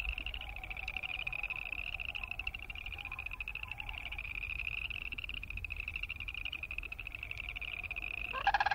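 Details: A boreal chorus frog chorus of high pulsed trills, steady but softer, with a faint lower pulsing line, ending in a sudden louder burst of sound.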